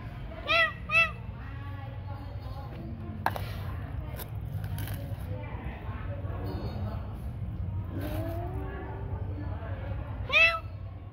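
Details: Cats at feeding time at night: two short, arched, tonal meows near the start and one more near the end, over a steady low hum with clinks and faint voices in between.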